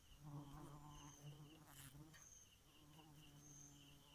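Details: Bee buzzing at night: a low, humming drone that swells during the first two seconds, dips, then resumes, while quiet, high, rhythmic insect trills repeat in the background.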